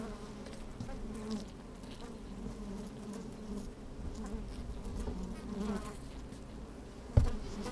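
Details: Honey bees busy in an open hive, recorded with a microphone lowered inside on a sunny day: even low buzzing hum with rumbling wind underneath and a sudden loud knock near the end.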